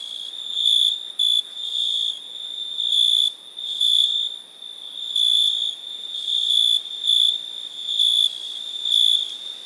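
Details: High-pitched cricket trilling, with uneven groups of louder chirps rising and falling above a steady background of many insects calling together.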